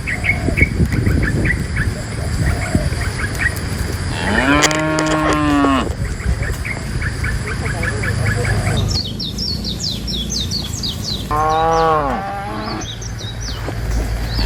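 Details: Herd of tame cows moving from forest to pen, one strong drawn-out moo around the middle and a shorter one later, amid a busy low rumble and scattered high bird-like chirps.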